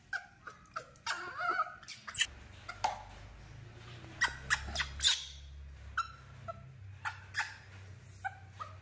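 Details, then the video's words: Baby monkey Nomi, a rescued pet, throwing a tantrum for milk after her bath: a rapid series of short, sharp squeaky cries and squeals, about fifteen bursts in nine seconds, some rising and harsh, over a low indoor hum. "baby monkey Nomi's tantrums are getting worse when she wants to drink milk"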